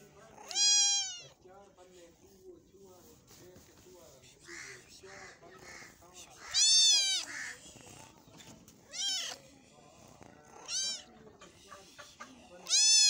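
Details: Cat eating meat; loud, strained meows repeat every two to four seconds, about five in all, some long and wavering, others short, with a low background of human voices.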